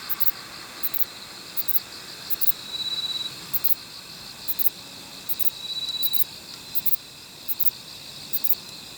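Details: Kobane-himegisu bush cricket from the Niigata area of Japan, its short wings still producing sharp paired high chirps in irregular bursts, alongside brief longer buzzes and a faint steady insect chorus.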